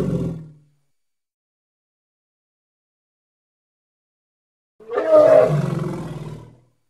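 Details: Congo hippo giving a clipped tail of a roar, then after a long silent gap a rich, rasping roar of nearly two seconds, rising in strength and fading away.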